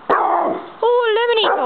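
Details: Nine-month-old Rottweiler in a backyard sand pit giving an alert bark at a roommate coming home from work: one rough, harsh bark followed by a drawn-out, tonal, wavering bark that ends abruptly.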